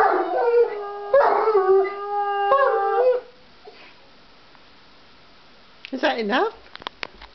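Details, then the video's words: Uther the Jack Russell and Galahad the Irish Wolfhound howl to be taken for a walk: three steady, clear howls over three seconds, then quiet, then a short swooping yelp and faint clicks. "Hilarious Video of Uther (Jack Russell) and Galahad (Irish Wolfhound) howling to go for a walk!"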